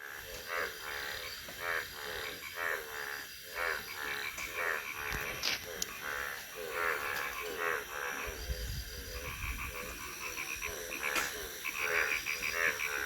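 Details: Frogs calling in Thakurgaon district: dense bursts of harsh, harmonic croaks overlapping in a busy chorus, with rapid pulsed notes and a few higher tonal calls in the background.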